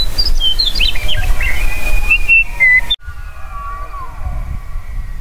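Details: Elk bugle with high squealing notes stepping down into a steady whistle. After an abrupt cut, a softer whistle glides downward over steady low background noise.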